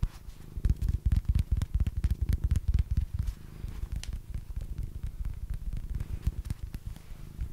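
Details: Deep, close purring from Basil, a house cat, swelling and fading in rhythmic bursts about twice a second, with scattered soft taps over the low throb.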